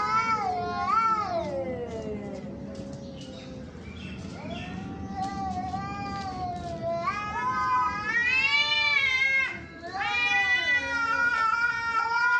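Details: Two or more fighting cats yowl and caterwaul in overlapping, wavering cries, swelling into loud rising howls with short breaks and scattered clicks in a noisy background.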